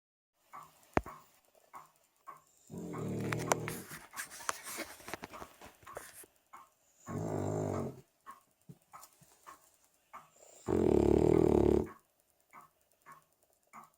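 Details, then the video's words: A 3-year-old female Cavalier King Charles Spaniel snores in slow, rasping breaths about every four seconds. "Snoring Cavalier King Charles Spaniel."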